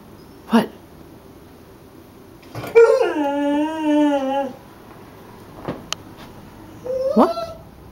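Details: Savannah, a pet dog that behaves like a Beagle, cries and howls indoors at her own reflection in the front window: a short yelp, then a long harmonic howl falling steadily in pitch for about two seconds, later a brief rising whine.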